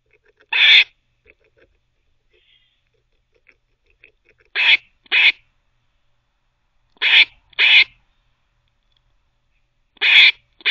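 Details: Squirrel barking while teething, giving short harsh rasps singly or in pairs. One bark, a long pause, then paired barks recurring roughly every two and a half seconds. Faint clicks between them, otherwise quiet.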